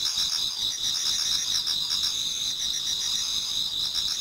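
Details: Japanese garden in autumn before dawn, filled with many singing insects: piercing continuous high trills overlaid by brief pulsed chirps repeating in quick succession.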